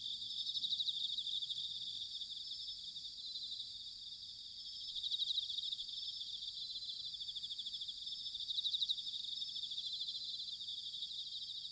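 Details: Autumn chorus of bell crickets from Sanuki in Chiba, Japan. A steady high, shimmering trill swells and fades, with three gentle surges in loudness, over a faint low rumble.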